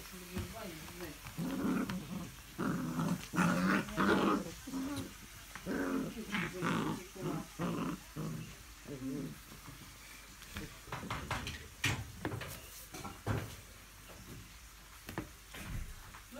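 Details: English Springer Spaniel recorded 05.02.17, giving a run of low, rumbling growls and grumbles in short uneven bursts, about a hundred a minute, with human voices mixed in and a few sharp clicks near the end.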